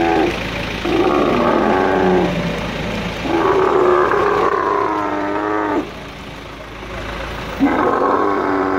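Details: Male dromedary camel, angry while moved with a crane at Al Ain's camel market, UAE, 21.03.2017: near-continuous groaning roars that shift in pitch, with a brief dip in loudness before a final bellow.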